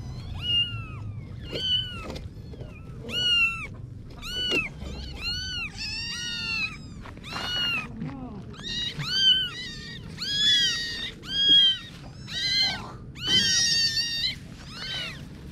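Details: Kittens meowing in a busy stream of short, high, arched cries, roughly one per second, growing louder and more crowded toward the end, faint background rumble.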